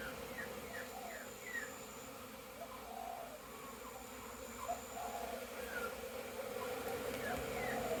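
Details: Bees making orientation flights at a very busy hive, 22 September 2022, crowds both inside and outside; a steady droning hum with individual bees whizzing past in short rising and falling swoops, a man briefly speaking.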